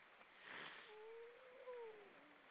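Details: Grey seal singing in the evening on the Baltic Sea off Estonia: a drawn-out tonal moan that wavers gently and bends down, then a second, slightly higher moan, after an earlier broad hissing burst, all over steady background noise.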